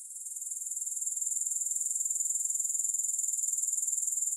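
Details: Grasshopper chorus with no music: a thin, very high, quickly pulsing whirr that fades in over the first second, then settles into a steady, evenly beating drone.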